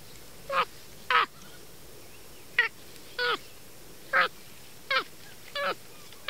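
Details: A small monkey eating corn by a fence makes short, squeaky, nasal calls that dip in pitch at the end, repeated irregularly.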